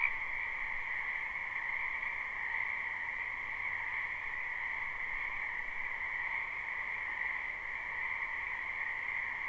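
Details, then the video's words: Spring wetland frogs heard in a live recording, their croaking blended into a smooth, even, two-pitched drone that barely varies across the stretch, with no other clear sounds. "Ambient Noise for Sleep Frogs"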